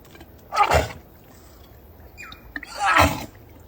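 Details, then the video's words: Dog making strange noises: two loud, breathy snorting bursts about two and a half seconds apart, with a short falling squeak between them. "The dog made strange noises"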